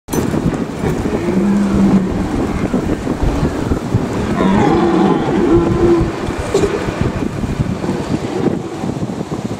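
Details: Red deer stags calling in the Eifel, Germany: two drawn-out, droning, harmonic calls, a short one near the start and a longer one midway, half-masked by steady wind rumble.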